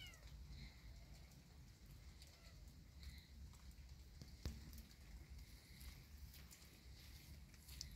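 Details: Kitten walking in a yard in rainy weather, giving several soft, faint meows with clear harmonics, spaced a second or so apart, over a steady low rumble and scattered sharp clicks.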